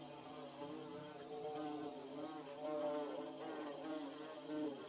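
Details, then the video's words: Several bees at work building a nest in the Mizo region hum continuously; the drone stays low and stacked with overtones, with a few wavering pitch shifts and a slight swell in loudness midway. "Bee Buzzing"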